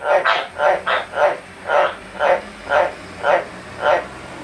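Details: White's tree frogs at bath time give about ten loud, gruff barking croaks, a quick cluster at first, then slowing to evenly spaced single calls about every half second, over a quiet, hissy background.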